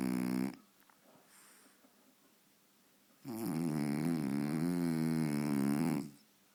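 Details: A French Bulldog named Faro, fast asleep before the television at home, gives a brief snore, then a long, loud, wavering nasal snore lasting about three seconds, with near silence between them.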